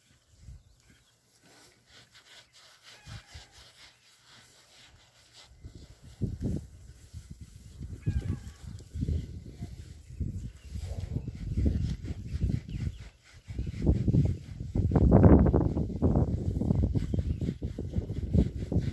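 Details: Berkshire pigs in their new paddock: about five quiet seconds, then low snorting grunts begin, growing louder and denser toward the end, with one strong burst near fifteen seconds.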